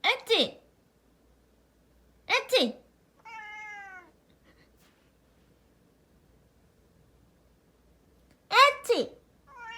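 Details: House cat scolding its owner's pretend sneezes indoors: three loud human sneeze bursts several seconds apart, each followed by a short, tonal, slightly descending meow from the cat.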